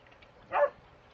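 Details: One short, mid-pitched bark from a Border Collie at play in garden sprinklers, one of two collies named Starbuck and Trixie, against a low steady background hiss.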